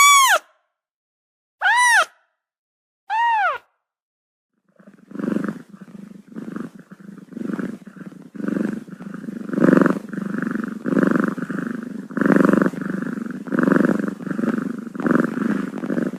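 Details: Six-day-old kittens with a cat: three loud arched high mews, each rising then falling, spaced about a second and a half apart, then a steady rhythmic throbbing purr pulsing roughly every half second to the end.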